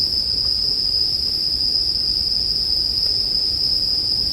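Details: Continuous bell cricket chorus in a sleep ambience with a campfire, one sustained high-pitched ringing note that never breaks, with a quiet low rustle of fire underneath.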